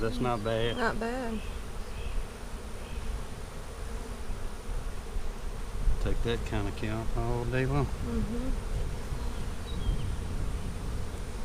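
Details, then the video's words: Honey bees during an April 15, 2017 hive inspection of a split made March 4 to help prevent swarming. A low, dense hum fills the background, broken by brief stretches of human speech near the start and again around six to eight seconds. "Bee Hive Inspection"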